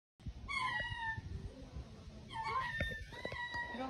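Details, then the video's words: A baby hyena gives thin, high whining squeals with wavering, harmonic tones, two bursts about two seconds apart, over soft background rustling and faint speech. "BABY HYENA"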